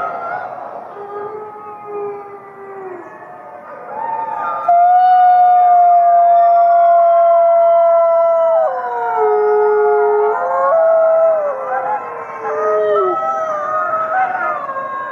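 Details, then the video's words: Group howl of fifty gray wolves, beginning quieter with scattered wavering voices, then a loud long level howl enters, dips lower, and several voices weave rising and falling notes together until the end. "Fifty Wolves Howling"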